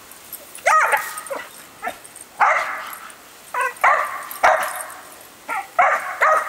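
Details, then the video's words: Female dog, normally calm and rarely barking, goes wild at a hose sprayer during watering outdoors; short sharp yelping barks in bursts with brief high whiny notes, separated by pauses, about a dozen calls. "Dog Goes Crazy with the Hose Sprayer"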